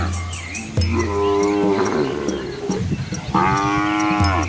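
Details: Asian village cows with calves walking along a quiet rural road among green rice fields; a deep, steady low moo opens, then longer higher-pitched bellows with rich overtones follow, with faint rhythmic ticking in the background.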